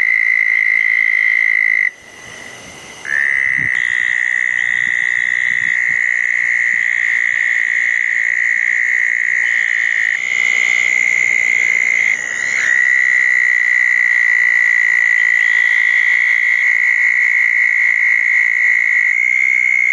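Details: Southern toads trilling at a pair of small ponds following a June 2014 thunderstorm at night; long, level, buzzy trills overlap, briefly breaking near two and twelve seconds before resuming steadily.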